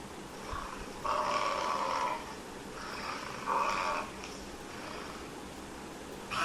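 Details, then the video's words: Buffalo calling in a series of short, nasal, mid-pitched moans. Each lasts about a second and they come every two to three seconds, with a soft hiss in the background. "Buffalo Sound Effect"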